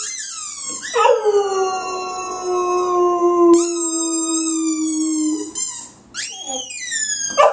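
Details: Butch, a pet dog, howls at his loud squeaky ball, perhaps taking it for another dog trapped inside. He holds one long, steady, mournful note for about four seconds. High squeals from the ball start and end it.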